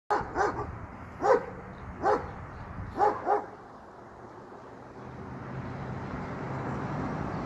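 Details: Great Pyrenees barking while playing on its property for the first time; six short harmonic barks in two-to-three pairs over about three seconds, then a steady rushing background noise.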